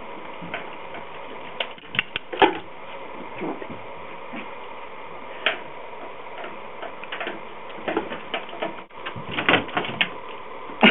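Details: Indoors, scattered sharp clicks and scraping taps sound against a low room hiss, with no barks or whines.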